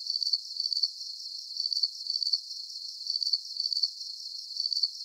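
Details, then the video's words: Soothing cricket chorus: shrill trilled chirps come in clustered bursts separated by brief quieter gaps, over a soft continuous high-pitched buzz, with nothing else audible. "Calming Cricket Sounds"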